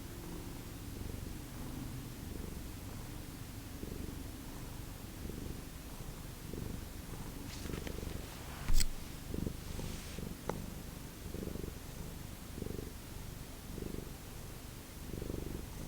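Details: Close purring from a Lucky Ferals domestic cat at home in the morning: low rumbling pulses roughly every second, with a few brief sharp clicks and rustles midway.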